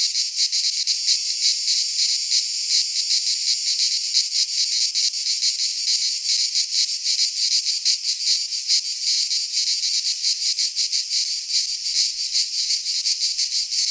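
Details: Greek pine forest cicadas in midsummer, producing a steady high-pitched sizzling drone with fine rapid flutter, holding constant loudness for the whole stretch without other sounds.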